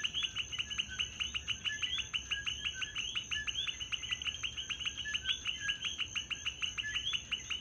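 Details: Chorus of coquis in Puerto Rico, where the frog is everywhere: countless quick, rising chirps overlap in a continuous pulsing mass, backed by a constant thin high-pitched insect drone.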